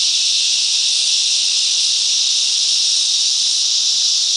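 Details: Cicadas in the bush mangroves of Coffs Harbour, NSW, Australia, singing as a group: an unbroken, shrill, hiss-like drone that stays level from start to finish, with nothing else audible.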